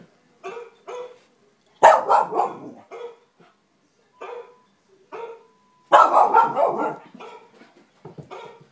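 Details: Wheaten terrier barking at a dog on the television indoors: short sharp barks in twos, then bursts of rapid, rough barking and yelps, with a brief whine between.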